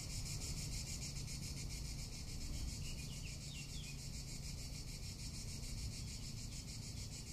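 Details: Tuscan summer cicadas keep up an unbroken, high-pitched pulsing drone, with a short faint chirping around three seconds in and steady low wind noise underneath.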